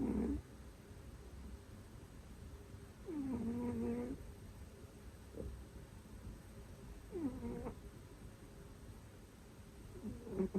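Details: Domestic cat snoring heavily while asleep, linked to sleep apnea; the owner keeps two cats that both snore loudly and talk in their sleep. Low, droning snores with a faint whining tone recur about every three to four seconds over quiet room hiss.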